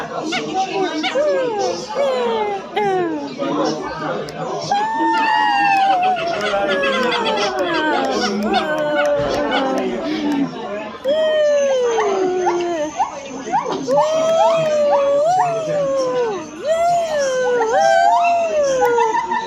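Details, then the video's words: Silvery gibbon calls, with a run of clear whooping notes that arch up and then slide down. They come faster and more regular toward the end, over background chatter and faint music. "The Silver gibbons sound effects"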